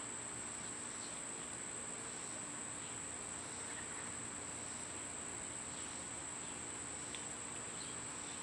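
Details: A dense, steady, high ringing drone of summer cicadas fills the air without a break, with faint scattered bird chirps beneath.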